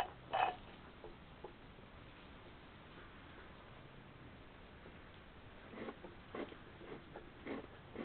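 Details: Two hedgehogs fighting on the night of 7 to 8 June 2020, one attacking the other out of nowhere while it somersaults; short harsh snorting bursts, one early, then a cluster of several near the end, over a steady faint hiss.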